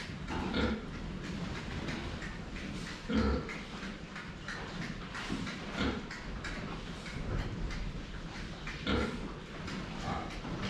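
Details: Pigs drinking water, filmed from the front: short low grunts come every two to three seconds over constant broadband clattering and splashing from the drinking area.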